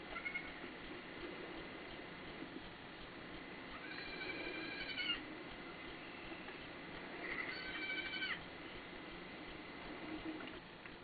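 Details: Baby goats giving short, high, wavering cries in two bursts, each about a second long with stacked bright tones, over a steady hum and soft background noise.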